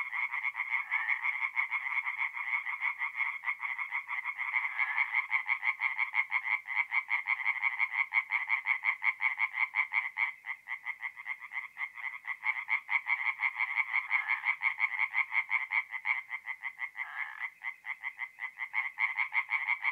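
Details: Singing tree frogs at a forest pond by night, mid-April in north-east Italy: rapid repeated croaks, roughly three a second, from several frogs overlapping in a steady, loud, pulsing chorus.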